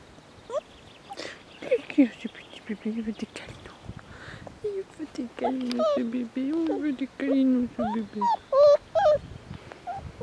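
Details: Non-pedigree Border Collie dogs at the Domaine des Tourelles farm on a playful, sunny afternoon: high, wavering whimpers and whines rise and fall in short repeated bursts, growing louder toward the end, with people's voices in between.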